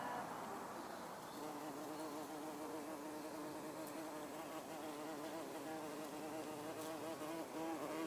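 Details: Common wasp, Vespula vulgaris, on red trumpet vine (Campsis radicans): a steady, low droning buzz with a slightly wavering pitch and rich layered overtones, continuous throughout with no pauses.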